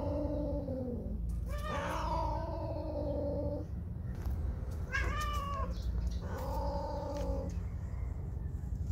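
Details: Whisky, a female house cat spayed two years earlier, in heat and seeking a male cat after slipping out of the house, gives four drawn-out wailing cries with rich harmonics, some rising and wavering, over a steady low rumble.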